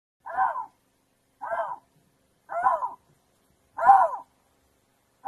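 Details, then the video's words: Lynx screaming: a series of drawn-out, moaning calls, each arched in pitch and rich in overtones, about one every 1.2 seconds with clean silence between them. "Lynx sounds, lynx scream"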